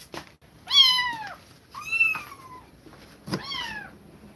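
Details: Kittens parted from a mother that repeatedly attacked them meow three times in about four seconds, each cry loud, high and arching then falling, the middle one longest and drawn out, with small bumps in the background.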